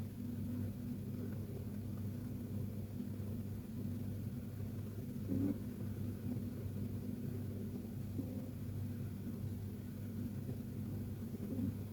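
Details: Continuous low droning rumble with a brief faint click midway, and no animal voice anywhere.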